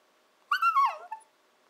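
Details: Nanako, a 14-to-15-week-old Shiba Inu puppy, vocalizing at home in her 'talking' style, often meaning she wants breakfast or dinner: a high, yodel-like whine lasting under a second, wavering then falling, ending in a short soft yip.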